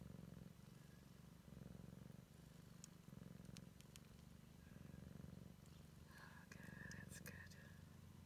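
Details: A Siamese kitten, exploring for the first time, purrs in a steady low rumble broken into regular breath cycles; scattered clicks and, toward the end, a short higher voiced sound over the purr.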